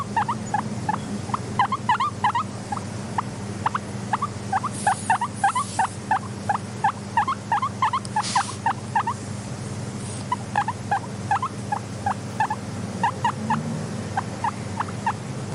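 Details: Soft wheeking of a content pet guinea pig: short, squeaky, upward-flicking chirps come in quick irregular runs, nearly three a second, over a steady low hum of quiet ambience.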